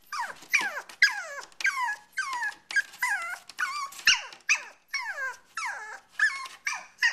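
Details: Pomeranian puppy giving a run of whiny, squealing yelps with falling and wavering pitch, about two cries per second, each short and high, with no other sounds.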